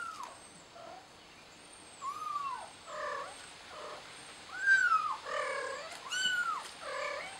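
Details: Frightened kitten calling out for its mother in a steady series of loud, arching meows, each rising then falling, coming roughly every second, with faint high chirps above.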